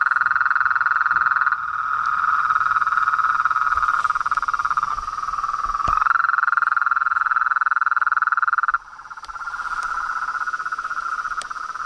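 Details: Frogs, toads and tree frogs in a sustained mid-pitched trilling chorus of rapid pulses, shifting slightly in pitch and loudness with abrupt changes, then quieter near the end.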